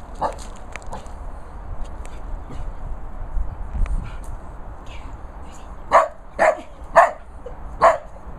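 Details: Missy, a Border Collie puppy scared of a stone dog, gives four sharp barks in quick succession near the end, after a stretch of quieter rustling.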